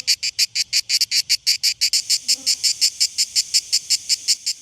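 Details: Cicadas sing in harsh, high, buzzy pulses, close to three a second, steady and unbroken, in summer in early July 2022 on the west side of Mallorca, the constant backdrop across the island.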